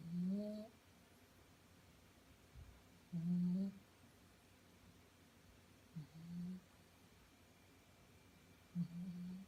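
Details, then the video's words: A five-month-old female Shih Tzu snoring as she sleeps indoors: four low, nasal, tonal snores, each about half a second long, recurring roughly every three seconds in a quiet room with faint background hum. "Shihtzu snoring"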